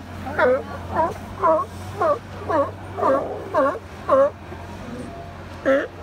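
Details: California sea lions napping at Second Beach, Powell River, British Columbia, with one giving a steady series of hoarse, harmonic barks about every half second.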